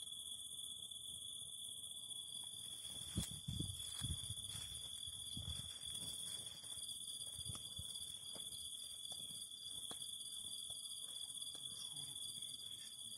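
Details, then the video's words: Cicada song over a fire: a constant high, shrill insect drone with a pulsed trill, broken by frequent sharp crackles and pops of burning wood, clustered strongly in the middle seconds. "Fire and the Singing of Cicadas"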